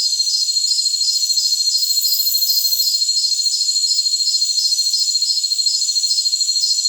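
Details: Jungle crickets sing in a thick, piercing chorus: layered high whines and a regular pulsing chirp roughly three per second, with a brief airy hiss early on.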